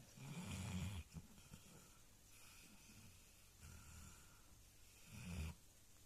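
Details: Alabai (Central Asian Shepherd Dog) deep in sleep, snoring with low, throaty rumbles, one at the start and another near the end, and softer wheezy breaths in the quiet stretch between.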